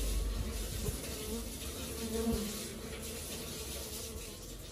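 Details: Busy honey bee colony giving a thick, unbroken drone of wingbeats, with a single bee passing closer for a louder buzz midway.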